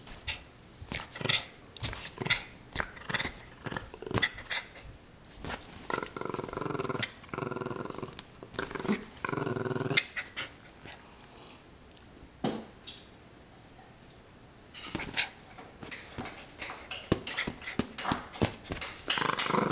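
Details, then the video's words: Puppy named Sammy playing tug of war, July 25, 2011, indoors; several stretches of rasping growls a few seconds long alternate with clicks, scrabbling and rustling of the tug toy. "Cute Puppy Sammy Tuggle War!"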